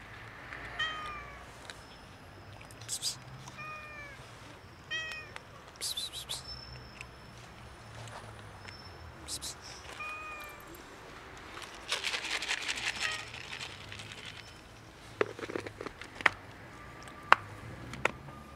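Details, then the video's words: Hungry domestic cats, a kitten and two adults, begging for food with short scattered meows, a few clearly pitched, mixed with rustling, clicks and broadband scuffing noises and a murmured voice. "Kitten and two cats MEOW loudly and ask me for food."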